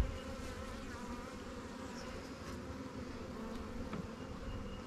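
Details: Honey bees at newly captured swarm hives, Langstroth and Warre, in an apiary during a hive check. A steady, low droning buzz holds throughout, with faint rumbling handling noise beneath.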